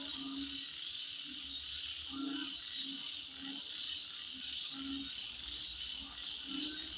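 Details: Insects heard at midnight as a continuous shrill buzzing wall of sound, while low, short croaking pulses come in clusters every second or so beneath it.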